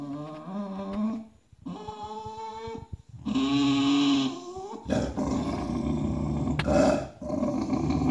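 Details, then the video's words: Indignant bulldog whose bed was stolen by another dog, grumbling indoors in drawn-out harmonic growls with a whiny edge, broken by short pauses, then a louder rough rumbling growl with some scuffling. "Son lit volé, ce bulldog pique une colère"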